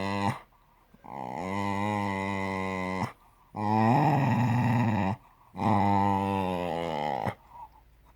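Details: Cocker spaniel kept as a pet producing eerie, throaty groans; three long, sustained, buzzy moans of about two seconds each, separated by short breathing pauses, the middle one rougher and louder.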